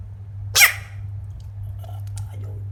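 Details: A baby frog gives one brief, harsh, wide-band scream over a steady low electrical hum.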